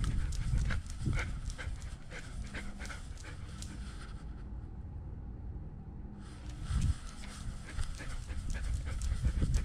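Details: Nala, a German Shepherd service dog left alone at home and wearing a GoPro camera, breathes in quick, uneven huffing pants amid thumping body and collar noise, pausing briefly in a hushed stretch before the panting resumes.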